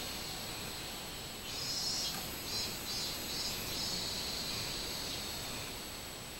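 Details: Robust cicada song from 24 July 2016, a high, thin buzz broken into pulsing phrases of under a second that build midway through, set against constant background hiss.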